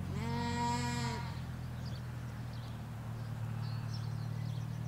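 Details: Sheep, ewes with lambs, grazing a Hampshire countryside field, recorded in stereo halfway along a hedge: a loud, full bleat opens the clip for about a second, followed by quiet with a constant low traffic hum.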